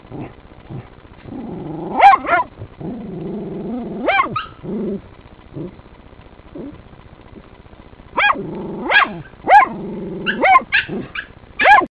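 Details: Working terriers at a sett holding one of three raccoons, barking hard: bursts of loud sharp barks mixed with rumbling growls, a quieter lull in the middle, then rapid barking again toward the end.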